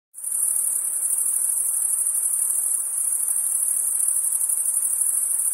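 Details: Crickets chirping on a summer night: a dense, continuous, very high shrill trill starting abruptly after a brief silence, then holding steady with a soft hiss below.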